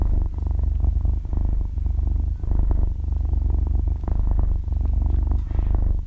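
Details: Half-year-old kitten purring while asleep, recorded binaurally at very close range: a steady low motor-like rumble that swells and dips with each breath, brief softer gaps roughly every second or so, no talking or music.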